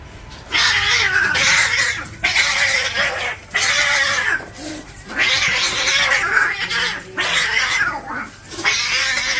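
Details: Cats fighting for territory, harsh raspy screeching bursts of about a second each, repeated with short gaps, loud and noisy throughout.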